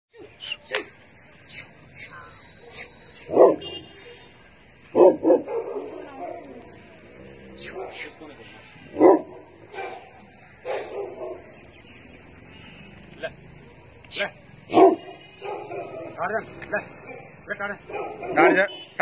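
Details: Large Tibetan Mastiff, also called Gaddi or Bhutia, gives loud, deep single barks spaced irregularly a few seconds apart, with people talking and calling between barks.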